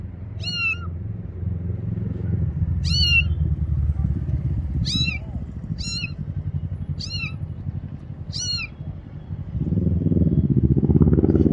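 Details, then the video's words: Frightened kitten calling for help near a bathroom, hidden behind a motorcycle: six sharp, high meows with strong overtones spread over nine seconds, above a heavy low engine-like rumble that swells at the end. "Little Kitty Afraid of Bathroom Meows for Help!"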